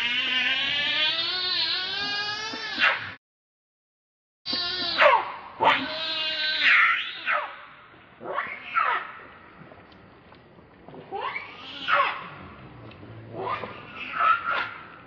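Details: Monkey angrily defending another monkey from a rival; long shrill harmonic scream, a silent gap, then repeated arched screeches growing shorter and fainter.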